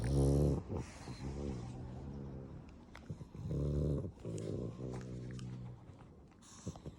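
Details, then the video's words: Black pug asleep and snoring: deep, buzzy, rumbling snores come in uneven bursts about a second long, separated by quieter wheezy breaths and small snorts. "My cute black pug snoring"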